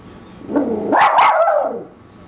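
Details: Koa, a Shih Tzu Maltese mix dog, warbles in protest at something outside the backyard: one voiced, wavering vocalization of about a second, rising from a low groan into a higher yodel-like wobble, then sliding back down and fading.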